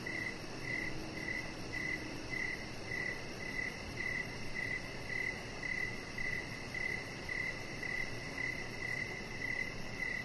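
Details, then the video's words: Evening cricket chorus by a deck: crisp, regular chirps repeated about every two-thirds of a second, a fainter high insect pulsing above, and quiet low background hum. "Chihuahua Puppy Laying On Deck with Cricket Sounds"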